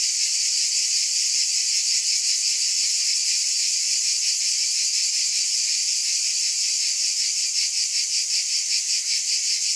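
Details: High, unbroken cicada buzz with quick rhythmic pulses, slightly wavering in loudness toward the end, no other animals or noises.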